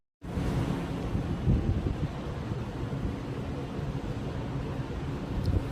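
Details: Steady rumbling wind noise buffets the microphone throughout, with no animal voice.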